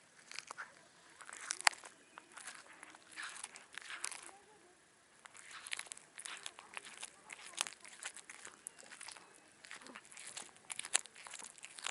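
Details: Loud, wet crunching and chewing noises come in irregular bursts, with no calls or vocal sounds.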